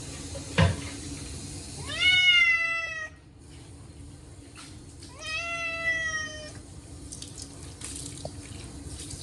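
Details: Chacha, a short-legged Munchkin cat, cries out during his once-a-year bath on a hot day: two long, strained meows rising then holding level, over running tap water and splashing.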